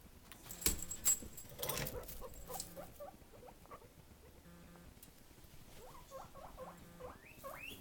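A guinea pig gives a run of short, rising squeaks after some rustling and scratching.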